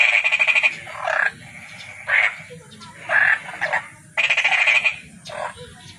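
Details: Toad trilling in short rattling bursts of rapid pulses, about one burst per second, between quieter stretches with low background noise.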